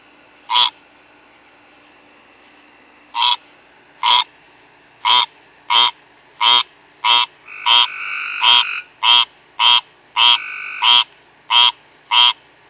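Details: Rain frog; call; calling to other frogs in the area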